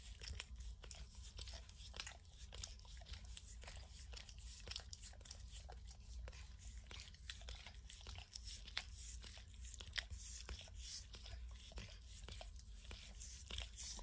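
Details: A pet dog named Max licks and snacks on peanut butter and kibble from an orange mat: a quick, irregular run of moist tongue smacks and crunchy bites, with a constant low hum underneath.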